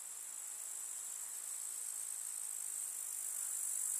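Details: In a summer village meadow, grasshoppers keep up a steady high, shimmering rasp that swells gently louder over four seconds, with a fine crackling edge.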